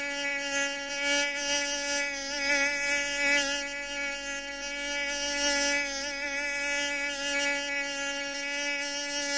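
A mosquito's thin, high whine holds steady and wavers slightly in pitch as it hovers close.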